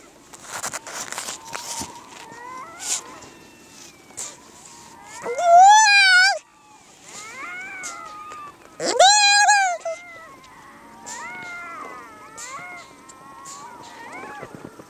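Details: Harp seal pup, teary-eyed and sniffling, making two loud drawn-out quavering bleats about three seconds apart, between softer wavering whines and scattered clicks and rustling.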